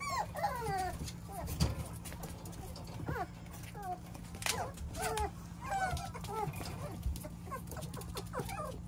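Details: Chubby, roly-poly Beagle puppy whining: a run of high, wavering whimpers and short yips, each sliding down or arching, repeated through the clip over a steady low hum.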